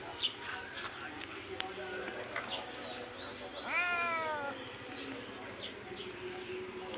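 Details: Cat giving a single drawn-out meow, slightly falling, lasting under a second amid background murmur and a person talking in Hindi.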